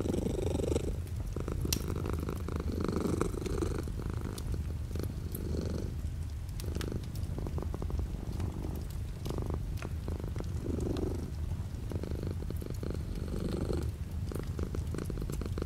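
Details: Purring house cat beside a rain-streaked window, light rain outside: a long, even, throaty rumble rising and falling with each breath, accompanied by a steady sprinkle of faint raindrop clicks.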